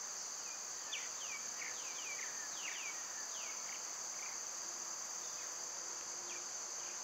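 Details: Cicadas droning steadily high and shrill on a summer day while birds add repeated short downward-sweeping chirps over the first half, then a few scattered notes.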